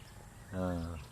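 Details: Baby goat giving a single short, nasal bleat of about half a second, steady in pitch with a rich buzzy tone, over quiet outdoor background noise.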